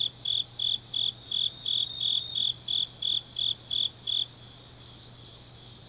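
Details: Grass insects singing late on an autumn night in Changnyeong, Korea: bright high chirps in a regular run for about four seconds, then the main singer stops and a softer chirping insect continues, over a faint low hum.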